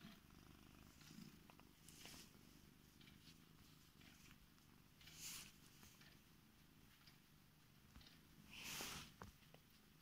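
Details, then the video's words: Affectionate female Korat cat purring in bed while waking her owner; a steady, low, soft rumble swelling gently with each breath, roughly every few seconds, with faint rustles of bedding. "Korat cat waking me up in bed"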